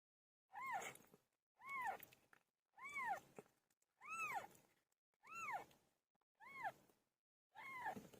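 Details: Pet cat named Pilo meowing while giving birth: seven loud, arched meows that rise then fall, coming steadily about once a second with short silent gaps between them.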